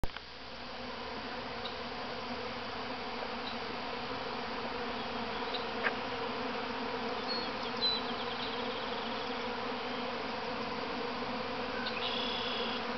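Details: The first swarm leaving the mother hive at Grass Lake Sanctuary, Manchester, Michigan, on 13 May 2012: hundreds of thousands of honey bees make an unbroken, rich, low droning hum with louder close passes; a person exclaims in wonder.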